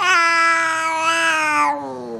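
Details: An F2 Asian Leopard Cat named Missy meows from atop a refrigerator. One long, loud, harmonic cry slowly slides downward, then trails off into a quieter, lower tail.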